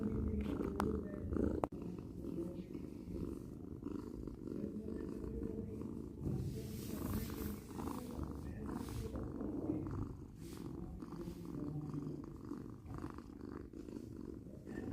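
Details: Close purring of a house cat: low, rough, rumbling hum pulsing with each breath, preceded near the start by a couple of sharp clicks, then steady purring throughout.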